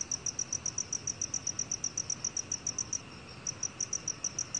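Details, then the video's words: Black cricket chirping: short, ringing high notes at roughly four per second in a steady train, one brief pause midway, faint hiss behind. "검은귀뚜라미, 여러번 듣기, 곤충소리"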